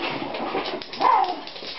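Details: Two pet Schipperkes, Nikki and Justice, romping indoors while playing soccer with a plastic bottle; a short rough growling vocalisation with a brief rising whine near the middle, in a small room with clattering play noises.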